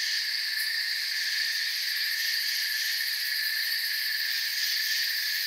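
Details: Forest crickets keep up a constant shrill trilling. Stacked high bands hold level throughout with a slight rapid flutter in the highest tones and one brief sharp tick early on. Nothing else is heard.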